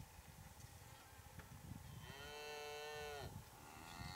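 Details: Big Hereford bull with cows during breeding season, courting and mating: a drawn-out harmonic moo lasting about a second, steady then falling at its end, over continuous low rumbling background noise.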